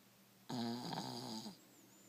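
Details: One-year-old male dog Buster, asleep indoors with his head resting on a shin, gives a single loud, drawn-out rasping snore lasting about a second, with a rich buzzy tone, followed by quiet room noise.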